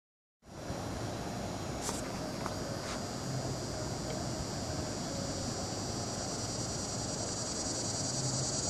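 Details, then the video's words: Chorus of Neotibicen tibicen cicadas recorded 08-09-15: after a half-second of silence, a dense, continuous high buzzing drone sets in and stays level to the end, with a few faint brief clicks early on. "Neotibicen tibicen chorus"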